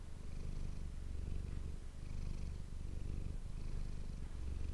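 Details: Manis, a pet cat, purring close to an ASMR microphone; deep continuous rumble, each inhale and exhale phase lasting about a second, with slight breaks between breaths.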